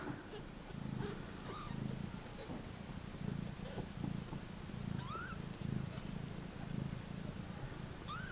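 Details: Mother cat and kittens once dumped at a turnpike, settled in their box near feeding time; a low rhythmic purr pulses steadily under a woman's gentle talk, with a few faint rising mews.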